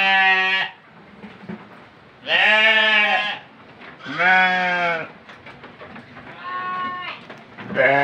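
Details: Qurban sacrifice goat bleating repeatedly: five nasal, slightly trembling cries roughly every one and a half to two seconds, with a faint hum between calls.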